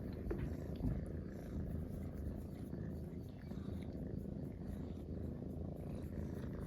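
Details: Munchkin kittens purring while relaxing together: a dense low vibrating rumble held evenly throughout, a brief faint squeak near the start.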